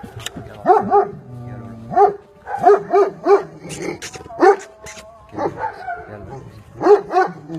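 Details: Young Aksaray Malaklısı dog, just past puppyhood, on a farm in Aksaray, Turkey, barking in a loud run of resonant, clipped barks roughly every half second, pausing briefly, while a man speaks Turkish nearby.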